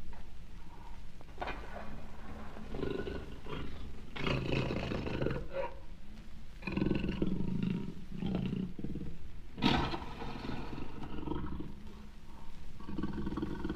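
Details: Deep rumbling jaguar growls, steady and heavy in the low range, with breathy bursts coming every second or two and one sharp knock near the end.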